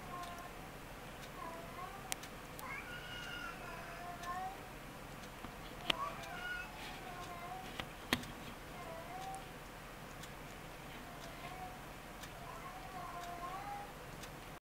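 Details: Ragdoll kittens, born 20 February 2015, mew softly while nursing. Several faint, wavering, high mews are spread across the recording, with occasional sharp clicks and a low indoor hum.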